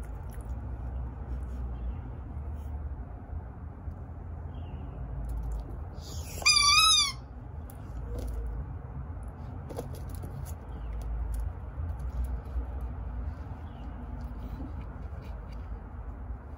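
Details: Cat playing with a leaf gives one short, wavering, strongly harmonic meow-like trill lasting under a second, set against steady low rumbling and faint rustling background noise.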